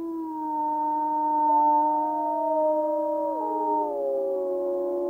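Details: A pack of gray wolves in Yellowstone National Park howls together in long, smooth, overlapping tones, some holding steady while others slide and drop in pitch, forming a layered chorus.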